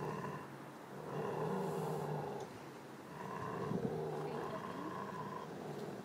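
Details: Giant Schnauzer guarding a bone with a low, steady growl, rumbling in long swells about every two seconds, with quiet background hum.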